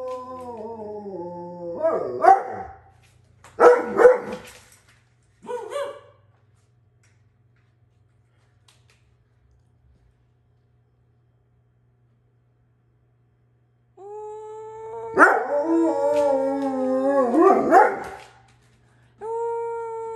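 An Alaskan Malamute 'talks' in long, wavering, howl-like moans broken by short rough barks.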